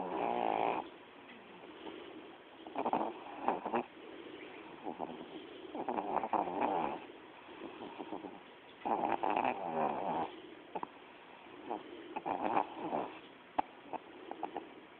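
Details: Coco, a pet dog, snoring while asleep: rough, rasping snores in bursts about every three seconds, each a breathy rumble separated by quieter pauses, heard indoors.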